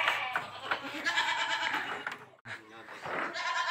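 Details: Boer goat on a village goat farm during crossbreeding with a young goat; a wavering, harmonic bleat runs through most of the recording, broken by a brief pause, with voices talking nearby.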